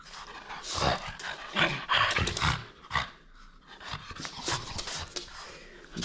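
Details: Indoor French Bulldog at play, holding on to a toy it will not surrender, gives bursts of rough snorting growls and heavy breaths, loudest near the middle, over soft room noise.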